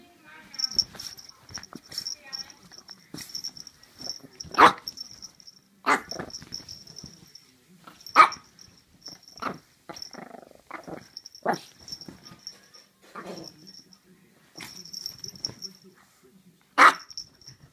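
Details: Chihuahua giving short, sharp barks spaced several seconds apart, with a steady high squeaky whine running through the background and quiet human speech indoors.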